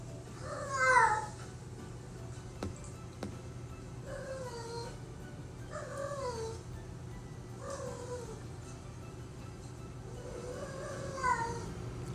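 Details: A domestic cat meows repeatedly, about six descending, plaintive mews spread over twelve seconds, with a constant low hum and soft music underneath.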